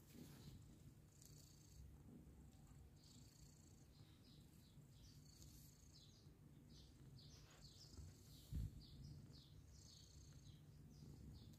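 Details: Mother cat with adopted kittens, a steady low rumbling purr running throughout, with faint high thin squeaks scattered above and one brief soft knock near the end.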